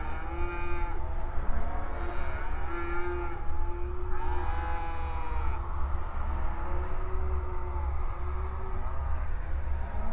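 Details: Cattle on open range pasture, grazing and communicating: drawn-out harmonic moos, with strong calls in the first half and a deeper low lowing chorus later. Constant low rumble and a high steady whine sit behind.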